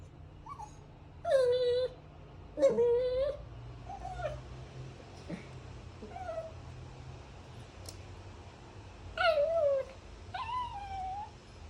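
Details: Dog whimpering indoors: short tonal cries that glide downward, two louder ones near the start and two more toward the end, with softer whines and a steady low room hum between them.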